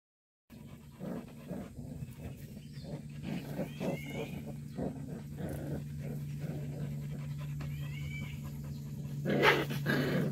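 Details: Purebred black Jindo dog panting rapidly in short, irregular breaths, with two brief high squeaky whines midway. A steady low mechanical hum runs throughout, and a louder rustling burst comes near the end.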